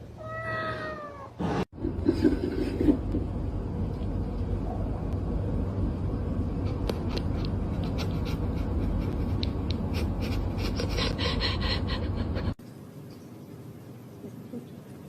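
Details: A house cat gives a quick series of falling meows at the start, followed by a long stretch of loud rushing noise and clatter.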